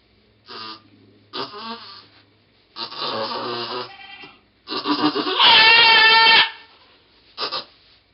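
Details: Pong the goat in labour with twins, 2/11/11: a series of broken, wavering cries spaced a second or two apart, building to one long, loud, strained bleat near the end, followed by a short final call.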